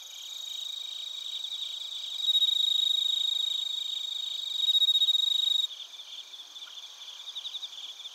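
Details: Narita, Chiba, Japan: bell crickets and other crickets recorded with a TASCAM Portacapture X8, a loud piercing continuous trill swelling twice before cutting out near six seconds, leaving softer rhythmic pulsed chirps.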